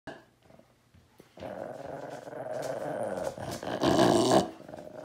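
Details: Beagle guarding a dead squirrel, grumpy; a low rumbling growl building after a quiet start, rising in intensity with a louder harsher burst near the end.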